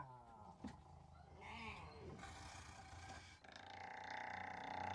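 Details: Striped hyena (Hyaena hyaena) in Kadbanwadi forest near Bhigwan, India, gives rough, wavering growls and short arching cries over a low rumble.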